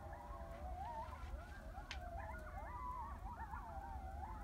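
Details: Coyotes howl together at about 2am in Heath, Texas, their wavering high tones rising and falling over one another above a low rumble.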